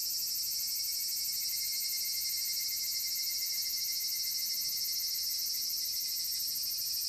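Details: Evening cicadas (higurashi) recorded 5 August 2014 near Dososhi gorge, Ibara, Okayama, Japan, fill the air with a high, shrill, rapidly pulsing trill that holds steady throughout.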